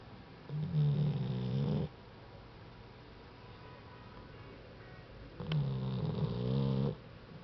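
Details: Sleeping dog snoring: two long, low, throaty snores, each about one and a half seconds, separated by several seconds of quiet breathing, in a quiet indoor room.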